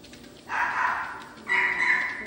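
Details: Finn, a teacup poodle, during treadmill training in Scottsdale, gives a thin, high, steady whine in two drawn-out stretches, the second higher and more tonal, with faint room noise.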